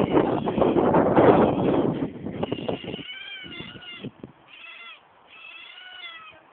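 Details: Otters with loud broadband rustling and knocking for the first three seconds, then thin, wavering high squeals in short repeated bursts, quieter and sliding slightly up and down.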